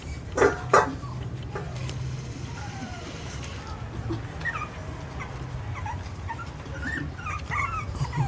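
Two quick, sharp yips from Jack Russell Terrier puppies open the sequence. Thin, high whimpers follow, rising and falling in short broken bits over a steady low rumble.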